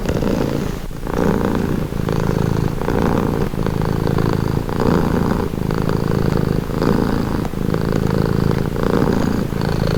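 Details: Continuous low purr of a domestic cat, with regular breathing cycles about every 1.3 seconds alternating between slightly brighter and softer rumbles.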